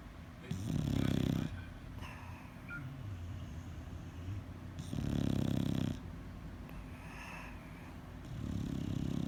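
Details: A sleeping bulldog snores in deep, rattling rumbles lasting about a second each, separated by quieter breathing, with three loud snores in the span.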